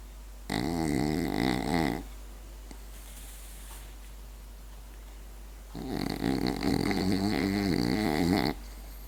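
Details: Berti the French Bulldog, fast asleep, produces two drawn-out raspy snores, the second nearly three seconds long, with a soft breathy sound between them.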